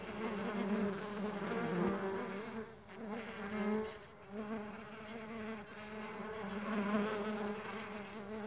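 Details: Mandaçaia stingless bees flying; a continuous droning wing buzz with several overlapping low hums that swell and fade as bees pass, briefly dipping in loudness around three seconds.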